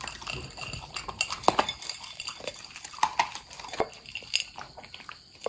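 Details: Pudding, a long-haired Corgi, chewing a meal; sharp crunching clicks come in uneven bursts, with brighter snaps around the middle and near the end of the stretch.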